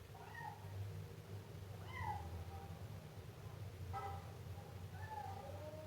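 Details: Siamese kitten meowing, with five short, rising-then-falling meows spread across about six seconds, each clear and harmonic, over a steady low rumbling hum.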